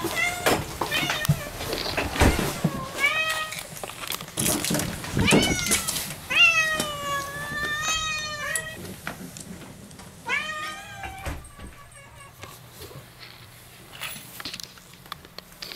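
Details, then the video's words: Pet cat Moo welcoming her owners home at the front door, giving a run of insistent, strongly harmonic meows, some long and wavering, roughly one per second, mixed with rustling, footsteps and household noise. "Cat happy welcome 2 !! 玄関開けたら2秒でにゃんこ♪♪"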